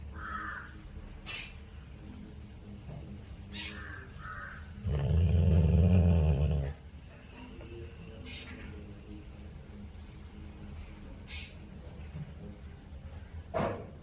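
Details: Sleeping Labrador dog lets out a single deep, throbbing snore of about two seconds midway through. The rest is quiet, with faint scattered room noises and a brief click near the end.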